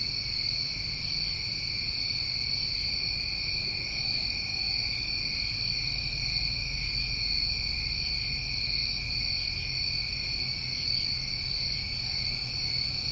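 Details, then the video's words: Crickets singing on a New England summer night, an even, unbroken high trilling wall of sound with soft rhythmic pulses above it and a gentle low-frequency murmur underneath. "Over 1 Hour Of Tinnitus Masking With Crickets"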